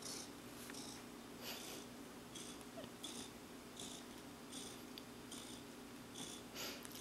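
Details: Big, contented cat Clarence in a blissful state, a steady low purr carried by rhythmic breathy pulses roughly every 0.7 seconds across seven seconds, with faint voices nearby.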